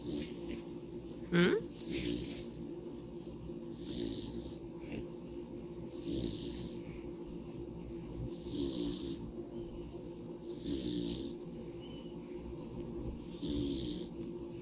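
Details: A pig sleeping in the sunshine breathes in soft, airy snores repeated roughly every two and a half seconds under a steady low hum, with one brief sharp squeak near the start.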